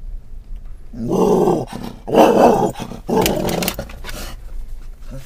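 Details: Scottish Terrier riding in a car in October 2010, reacting to stimuli on and off camera: three loud, rough, growly barks in quick succession, each lasting under a second, over a low engine hum.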